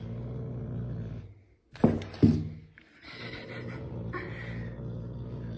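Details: A grumpy pet caracal playing with a carpet gives a low rumbling growl, broken by two sharp, loud bursts of harsh hissing sound.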